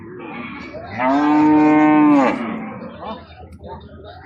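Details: Cattle at the Mannara cattle market in Dhalua Union, Nangalkot, Cumilla: one long, steady, deep moo of about a second and a half rises from a low crowd murmur, followed by background chatter and market noise.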